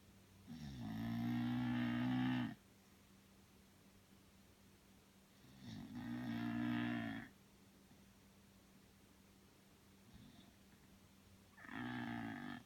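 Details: Belle, a sleeping Bulldog, snores in long rasping breaths lasting about two seconds each, spaced roughly four to five seconds apart, with a quiet steady hum between them.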